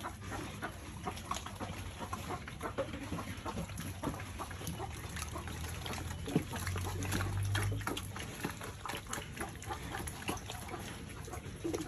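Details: Farm piglets feeding, with continuous wet chewing and smacking clicks, a low droning grunt-like rumble rising midway, and a brief human voice nearby.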